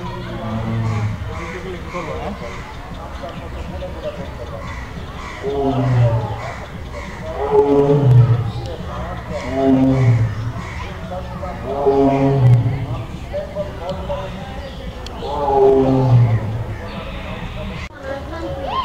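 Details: A caged Royal Bengal tiger roars in a repeated run of deep, throaty, moaning bursts, each swelling and fading about two seconds apart, with human voices and a low crowd murmur throughout.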